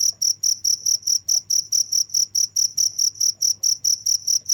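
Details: Continuous cricket calling: evenly spaced high, pure chirps about two per second, clean and rhythmic over a soft low hum.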